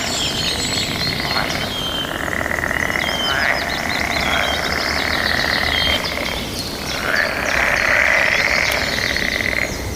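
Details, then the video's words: Chorus of frogs in mating season, overlapping high trills forming a continuous band, with rapid repeated bird chirps and a few rising whistles mixed in. "Suara Kodok bersahutan diiringi suara alam yang indah"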